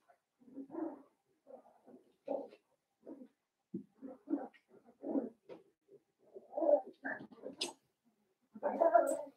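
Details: Litter of five blenheim Cavalier King Charles Spaniel puppies in a home puppy pen, born around New Year. Short grunting whimpers and squeaks come in quick irregular succession, with a thin high squeal late on.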